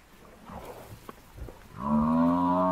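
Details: African buffalo bull in the wild, seized by four male lions as the rest of the herd comes near; after a quiet, rustling start, a loud, harmonic, drawn-out bellow rises abruptly and holds steady to the end.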